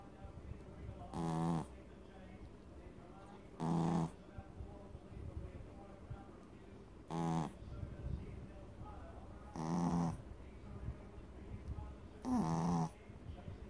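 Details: A sleeping Maltese/Shih Tzu dog snoring: five loud rasping snores, each about half a second long, spaced roughly every two to three seconds, over a quiet indoor background.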